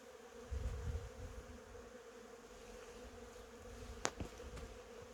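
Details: Honey bees among cherry blossoms: a continuous even buzzing drone, a brief louder low rumble early on and a sharp click about four seconds in.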